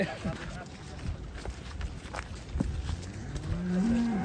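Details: Black, horned Belgian Blue bull being let out of its pen gives a low moo that rises toward the end, with people talking quietly in the background.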